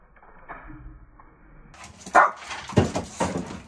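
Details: Shih Tzu Chiyomaru, from a home keeping several dogs, lets out a few short, sharp barks or yips in quick succession after a quiet, murmuring start, the bursts rising and falling within about a second.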